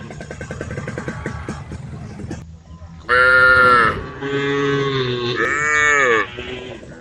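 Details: Tame cows on a road calling the herd: after mixed low background noise, three loud moos in quick succession. The first is short and high, the next two are longer with bending pitch.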